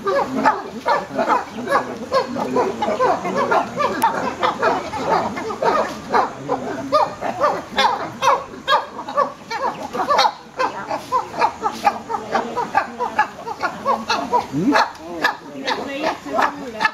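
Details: Wild chimpanzees calling in trees, signalling to other chimps that good food has been found; a dense chorus of overlapping hoots, barks and screams from several animals, with rapid irregular bursts throughout.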